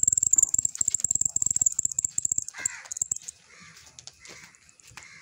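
A cricket gives a thin, high, steady chirping trill over loud clicking and tapping noises.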